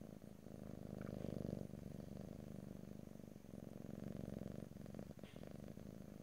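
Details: Close-up stereo purring of a domestic cat, a loud buzzing rumble in two long breath phases with a quieter gap between, no talking.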